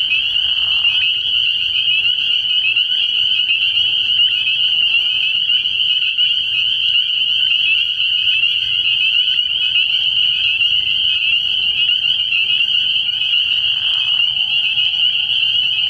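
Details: Early-year spring peeper chorus from a pond after dark: steady, shrill high-pitched peeping from many frogs, broken twice by a lower, brief trilling burst at the start and near the end.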